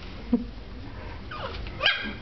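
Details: Two Dachshunds playing indoors, a little sister roughhousing with her older brother: a short low yelp, then a pause, then a rising whiny bark followed by a sharp higher yip, with room noise underneath.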